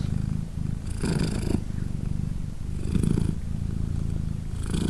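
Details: Polina, a British Shorthair mother cat, purrs while her three tiny kittens, three days old, nurse; a continuous deep vibrating purr swelling with each breath about every two seconds, indoors and otherwise quiet.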